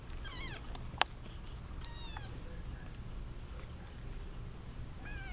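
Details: Three thin, high kitten meows, each bending down at the end and spaced a couple of seconds apart, from a litter of eight kittens, seven female and one male, squabbling over their eight-month-old mother cat indoors; a sharp click and soft background hiss.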